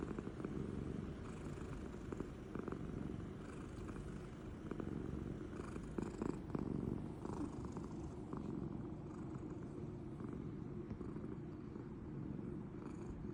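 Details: Pet cat Toranosuke lies asleep and snoring, companion cat Mego staying near; a constant low, grainy rumble holds steady throughout, with occasional soft thumps and rustles around the middle.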